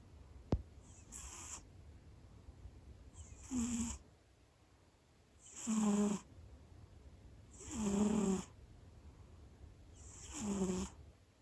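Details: Pet cat loudly snoring right after dozing off indoors. Heavy hissing snores with a deep rattling undertone come roughly every two to two and a half seconds. A single sharp click is heard near the start.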